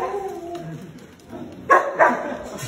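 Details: Samoyed at a dog cafe in Korea. After a quiet stretch of soft talk and murmur, two short, loud barks come about a third of a second apart near the end.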